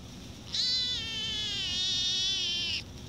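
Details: A female Siamese cat gives one long, drawn-out meow that wavers slightly and sags in pitch toward the end.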